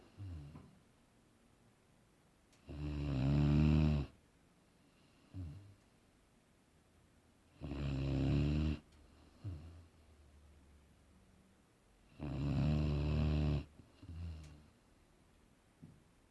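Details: Aaron, a Boerboel, sleeping and snoring, three long buzzing low snores roughly every five seconds, each followed by a softer short breath out, with quiet stretches between.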